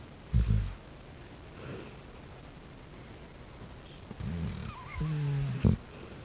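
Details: Overweight pet dog snoring while asleep: a few deep, rumbling snores, one short at the start and a longer drawn-out run near the end, separated by quiet breathing and low background hiss.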